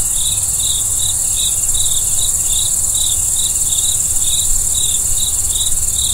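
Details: A cricket calls at night with high, short chirps about three per second, slightly uneven in timing, set against a constant shrill high-frequency insect chorus and soft low background noise.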